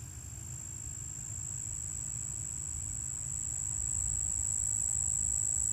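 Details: Cuban ground cricket, Chicago region, sings a steady, thin, very high-pitched tonal trill with one dominant frequency over a low background rumble.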